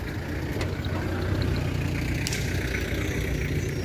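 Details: A steady idling engine rumble fills the air with faint background clatter, and no animal sounds are heard.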